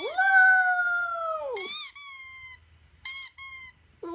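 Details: Pet toy poodle indoors howling in response to squeaky toy sounds played from a laptop: a long, steady, harmonic-rich howl held for about a second and a half, then sliding down, followed by bursts of high, sharp toy squeaks.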